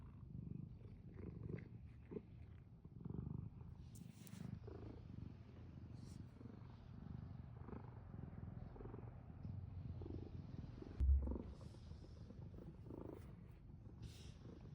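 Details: Domestic cat purring, a low rumbling purr in uneven swells, softer than a steady drone, broken by brief rustling and clicking sounds and a short thump near the end.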